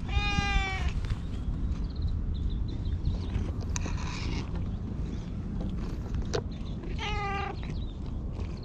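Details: Jet-black stray cat sitting on a lap and meowing as if asking for something, having followed the filmer; GoPro HERO8 recording. A clear meow opens, then rustles and low hum, and a second shorter meow comes near the end.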